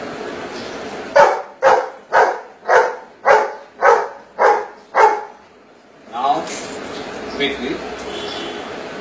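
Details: A Golden Retriever answering maths questions by barking: eight sharp, evenly spaced barks about every half second, then a man's voice speaking.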